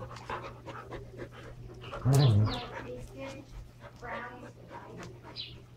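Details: Standard Poodles Brizz and Copper go all out wrestling at play with toys: quick breathy panting, then a loud, harsh growl burst in the middle, followed by more huffing and scuffling over a low hum, with a voice faintly behind.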